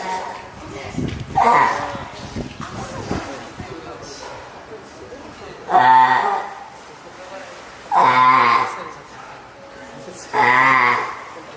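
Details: Female spotted seal pup, hand-reared at Oga Aquarium, Japan, born April 19, calling for its keeper on 9 May 2017: four loud, bleat-like wailing cries spaced roughly two seconds apart, with people talking softly behind.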